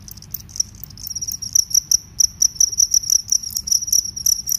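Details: Cricket from a comparison of rice-field and forest crickets, where the field cricket is described as shrill: uneven bursts of high, sharp chirps that start faint and grow louder and faster, ringing pulses packed closely together.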